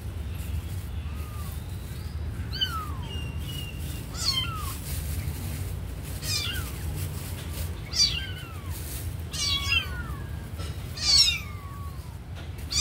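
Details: Kitten watching a sleeping puppy gives high, thin meows that bend downward, several short calls spaced a second or two apart over a steady low hum.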